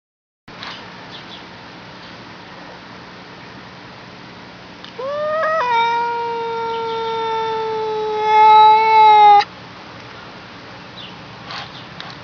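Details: Cat giving one long drawn-out meow, rising briefly then holding a steady tone for about four seconds and swelling louder near its end, over a faint background hum.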